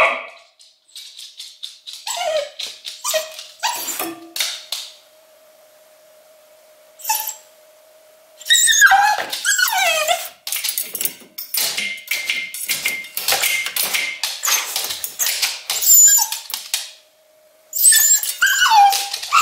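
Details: English Cocker Spaniel Luna, home alone in Berlin during the lockdown, in separation anxiety. Bursts of short yips and rising whines alternate with quiet stretches holding only a steady electrical hum, then resume in rapid, noisy barking bouts.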